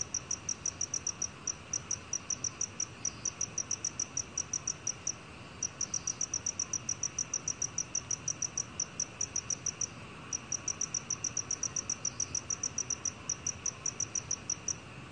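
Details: Repeated high metallic chirping of a black cricket, recorded in 2020 for a national biological resources collection: long even bursts of fast pulses separated by short breaks, low hiss behind.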